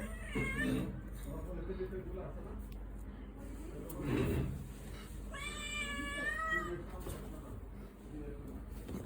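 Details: Domestic cat turning aggressive and biting a hand indoors; a drawn-out, wavering meow with strong harmonics rises and falls near the middle, preceded by shorter muffled cries, with a human voice and handling noises in the background.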